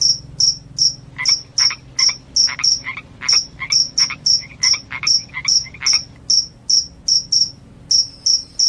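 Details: Shrill cricket chirps, said to keep rats away and cause sleepiness, come in a steady series of about two to three per second, each paired with a lower raspy pulse. A faint low hum lies beneath.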